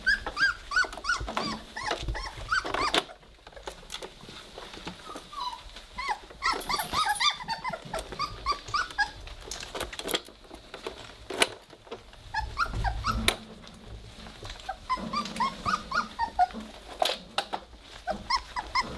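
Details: Three-week-old Weimaraner puppies at play, starting to growl; busy stretches of squeaky whimpers and yips alternate with low rumbling growls and thumps in a small room, with a person remarking on the growling.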